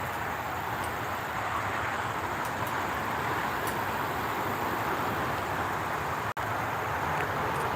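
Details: Steady roar of passing traffic and vehicles fills the whole stretch, with no animal voices heard.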